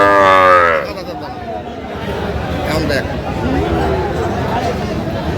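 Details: Sahiwal bull at a cattle market with a Dhaka farmer buying, 23 August 2025; a short, loud harmonic moo in the first second, then a busy crowd of voices and market chatter.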